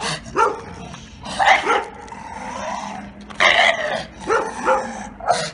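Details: Giotto, a neutered Bull Terrier with past aggression toward other dogs and his owners, during training: a few hoarse barks separated by a drawn-out whining tone, ending in a final sharp bark.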